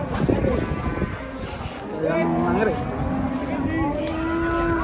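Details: Huge cattle unloaded from a truck in 2024 let out a strong, sustained moo with stacked harmonics, followed by a steady, level bellow lasting a couple of seconds, while people chatter in the background.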